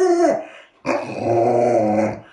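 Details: Alaskan Malamute, a pet dog at home, gives a drawn-out harmonic growling vocalisation after a short first note, rising and wavering for over a second.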